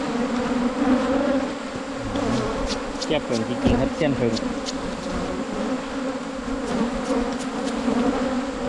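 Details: Cavity-nesting Asian honey bees at a wild colony found on a 2022 honey hunt: a continuous buzzy drone, even and unbroken, with faint clicks and a short stretch of human voice in the middle.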